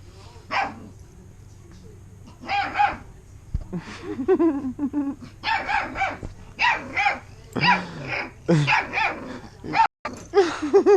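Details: Bernese Mountain Dog puppies at play: bursts of short, high yips and barks with whiny, wavering cries between them, coming in quick clusters of several calls, with a sudden brief gap near the end.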